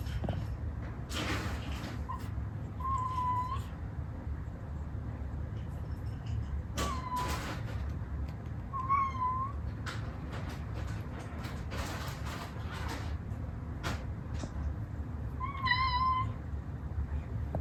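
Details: Moco, a playful long-legged female Munchkin cat kept as a pet, meows wanting food. Four short, thin, high meows, some slightly rising then falling, come at irregular gaps over low room hum, with scattered clicks and handling noises.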